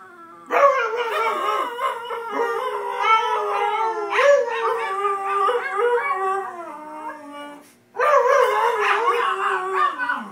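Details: A pair of household dogs named Shanty and Yuna join in a loud, drawn-out howl, voices weaving up and down in pitch, fading toward a brief gap before a strong renewed burst.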